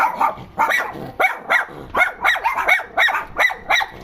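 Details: Dogs complaining about something: short, rough barks with rising and falling yelps, coming about every half second in an uneven, agitated run.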